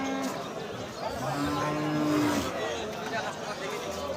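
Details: Bull raised for slaughter at Madarganj cattle market in Thakurgaon district, on 12 March: one drawn-out, steady, low moo of about a second, over loud talk and faint music.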